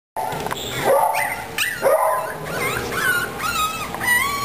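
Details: Cavalier King Charles Spaniel puppies of Cookie's litter, just moved to a puppy pen, one big boy upset: high whining yelps with rising and falling squeals, repeated about once a second, overlapping cries from several pups.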